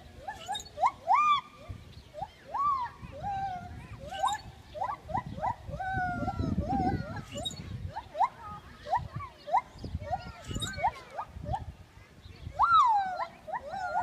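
Gibbons sing a rapid series of loud, sweeping whoops that slide up and down in pitch.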